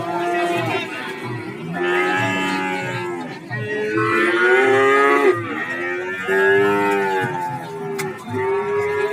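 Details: Several cattle lowing together at Warujayeng cattle market, Nganjuk: loud, rich, drawn-out moos that overlap and follow each other almost without pause, some rising and falling in pitch, over steady crowd background.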